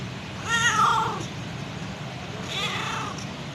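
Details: A mother cat meows to call her kittens. There are two meows: a strong, wavering first call, then a softer, shorter second one about two seconds later, over low background hum.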